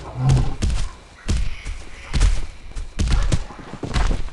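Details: Koala making strange noises: deep, rumbling, snore-like pulses in a rough series, about one a second, with thudding low grunts and a little background speech.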